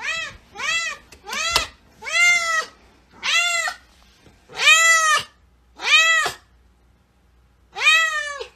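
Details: Pet cat giving loud, insistent meows in quick succession, roughly nine bright, harmonic-rich calls that swoop up and down, some short and clipped, others longer and wailing, in a quiet room.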